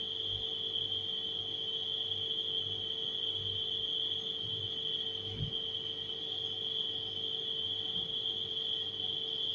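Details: Nighttime crickets form a steady, unbroken high-pitched trill that fills the whole stretch, layered over the constant low drone of a humming refrigerator with faint low thumps.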